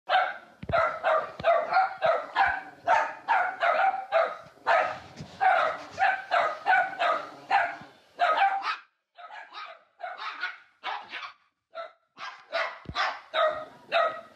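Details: Two dogs bark at a third dog to trick him out of his bed, then jump into it once he leaves; rapid repeated sharp barks, several per second in bursts, with brief pauses after about eight seconds.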